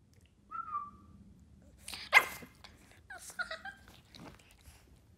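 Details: A 4-month-old Boston terrier puppy throws a tantrum with a thin whine, a sharp bark and squeaky yelps.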